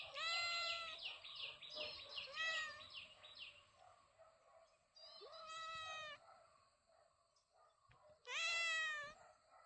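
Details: A cat gives a long wavering meow, then a short pause and two more loud, rising-falling meows, the last one the strongest, over faint background noise.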